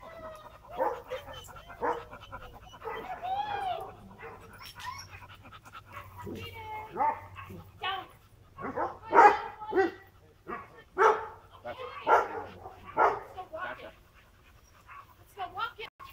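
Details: Wheaten Terrier named Cianán during an agility session gives sharp, excited barks in quick bursts, most dense from nine to thirteen seconds, mixed with higher whines and yips, with some human voices in the background.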